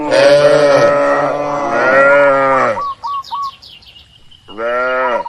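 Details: Cattle herd grazing in an open green rural field: two long, rough, wavering moos run almost together, then a short quiet spell with faint chirping birds, and a final shorter rising-falling moo.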